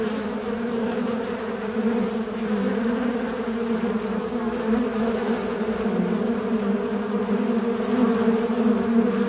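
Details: Fly droning in a steady, loud buzz, its low pitch gently wavering and dipping, unbroken for over nine seconds.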